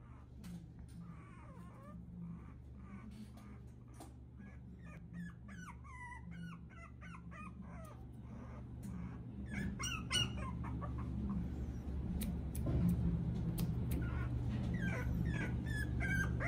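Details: Teacup toy poodle puppy indoors: a run of high, thin, wavering whimpers and squeaky yips, repeated quickly and growing denser toward the end, over a constant low electrical hum.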